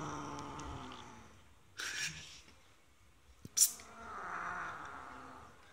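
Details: Domestic cat Maisie, a pet kept outside the house, growls low while refused entry with prey she stole from another cat, Eddie. Harsh rumbling swells near the end, broken by sharp clicks and a brief rustle.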